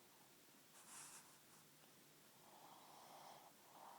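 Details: Pug snoring: a sharp snorting inhale near the first second, then a longer rumbling, breathy snore building toward the end.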